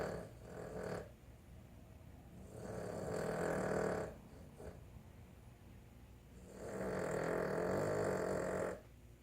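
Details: Boston Terrier snoring: two long, loud rasping snores of about two and four seconds with broad noisy energy, a shorter snort near the start, quiet breathing gaps between.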